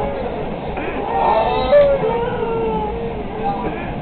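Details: Dog provoked into howling aboard a train: drawn-out, wavering tonal howls that slide and dip in pitch, with a brighter peak near the middle, over a steady rumble of train noise.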